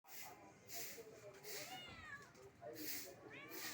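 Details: Kitten stuck up a soursop tree meowing loudly; a few rising-falling meows come through against a noisy, hissy background with broadband rustling bursts.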